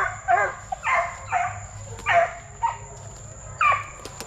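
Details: Plott Tan puppies (Plott hound x black and tan coonhound), 8 weeks to 5 months, from deer-tracking parents. About six short, clipped barks and yips come at irregular intervals, with a few faint clicks between them.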